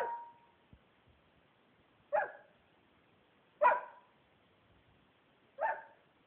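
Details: Finn the dog barks toward the treat closet, captured by Android phone: four clipped barks at irregular intervals of one and a half to two seconds, indoors with little other noise.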